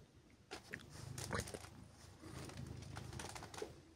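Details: On a chilly morning, silver tabby Siberia purrs under gentle pets and cuddles. A steady low hum runs beneath soft scratching and rustling of petting hands.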